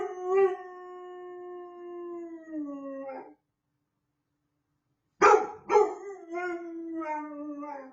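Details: A puppy's first-ever howl, a sustained clear note slowly sliding lower over three seconds, then after a pause a sharp yip-like onset leading into another falling howl.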